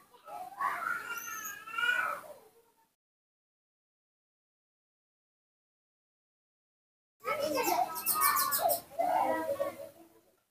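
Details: Nomi, a young monkey raised at home, calls out while his father is away: wavering, harmonic squeals, then after a long silence a burst of shrill, rapidly pulsed screeching cries.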